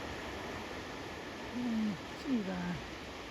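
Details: A grey seal in the water off the rocks near Godrevy and Hell's Mouth, Cornwall, in autumn, gives two low, drawn-out moans, the second bending downward, over steady surf. Oystercatchers are calling nearby.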